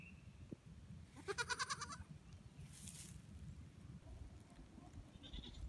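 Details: Baby goat being fitted with a new collar gives one short, quavering bleat of under a second, pulsed and tremulous, over a steady low background rumble with a brief hiss of noise.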